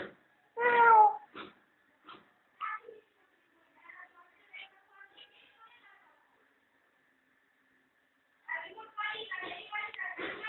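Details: Domestic cat with her playful kittens, enjoying the sun at home; a loud, drawn-out harmonic meow opens, followed by shorter, quieter mews and soft sounds, then a dense burst of rapid overlapping calls near the end.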